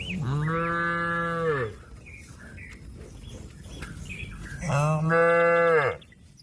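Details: A cow calls its herd-mates back to the pen with two long, steady, droning moos, each about one and a half seconds long and falling in pitch at the end, separated by a pause with faint bird chirps.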